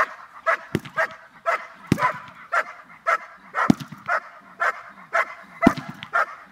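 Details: Dogs at a training session: bursts of barking repeat about twice a second, some strong and clipped, others softer, along with sharp knocks and clicks.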